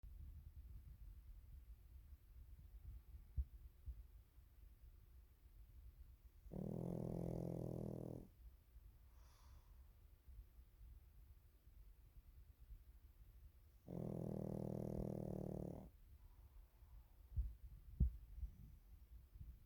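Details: Pekingese named Waffle snoring during a daytime nap; two long, low, rasping snores about seven seconds apart, each buzzing for roughly a second and a half, with quiet breathing and soft rustles between them.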